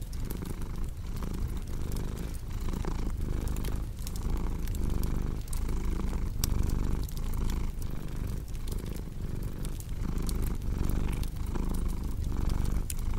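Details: Steady purr of a house cat next to a cozy fireplace, a deep rumble pulsing in roughly one-second breath cycles, overlaid by frequent sharp crackles and snaps from the fire.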